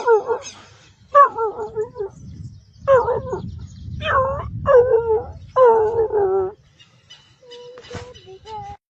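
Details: A dog making funny sounds: a run of six wavering, yodel-like whines and moans, each about a second long with bending pitch, then a few softer short whimpers toward the end.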